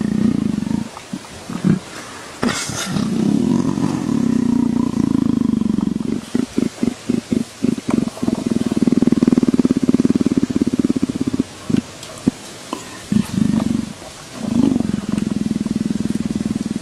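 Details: Purring leopard, said to sound like a motorcycle; a deep, pulsing rumble that stutters in short choppy bursts midway, then flows again in longer, smoother runs.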